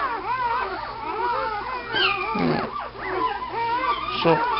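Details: Puppies whine in looping, arched cries, one voice after another, with a brief human voice in the middle and a faint low hum throughout.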